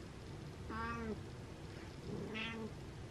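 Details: Pet cat Butters giving two short, moaning meows about one and a half seconds apart, each drawn out then dipping at the end, over a low steady indoor hum.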